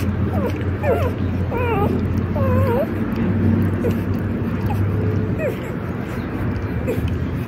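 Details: Four puppies, only 4 days old, get excited as Rosalie, an experienced dog mother, tries to enter the puppy room safely. High wavering squeaks and whimpers rise and fall over a steady low droning background.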